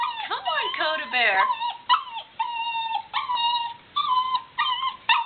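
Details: Black Labrador Retriever puppy named Dakota Bear, a female, whining while trying to get down the stairs at home; thin, steady high whines recur about once a second, each held briefly, over a person's high-pitched talking early on.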